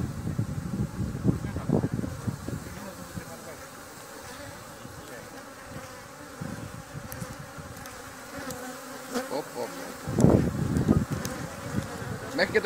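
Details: Honeybees buzzing during venom collection in Thessaloniki, Greece, on 13 October 2017; a dense, low droning hum swelling and fading in bursts, with faint clicks and voices in the background.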